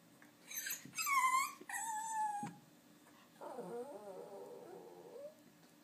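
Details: Dog whimpering in a series of high, wavering whines that break off, then a lower, quieter, wobbling moan; faint hum underneath throughout.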